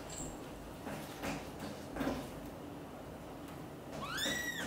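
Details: British Shorthair kitten Piano trying to leave the nest while mother cat Xaxa persuades him to stay; a high, rising, harmonic-rich mew near the end, after a quiet stretch of faint rustling and household noise.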